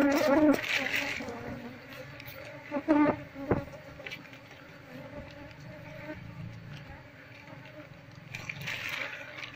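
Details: Constant low droning hum from a wild Apis cerana colony during transfer to a cultivation box, with combs being taken out; a man's speech and handling knocks are heard over the buzzing.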